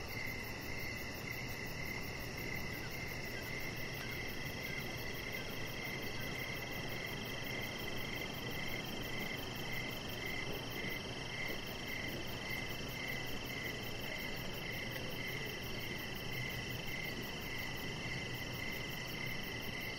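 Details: Evening crickets chirping around a deck where a chihuahua puppy named Rocket lies; a dense run of high, rapid chirps continues without pause over a constant hiss.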